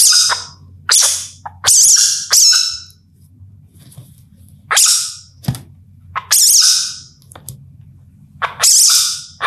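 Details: Indian palm civet calling at night in India: harsh, breathy hissing bursts, irregular and about half a second to a second each, separated by quiet gaps, over a low steady hum.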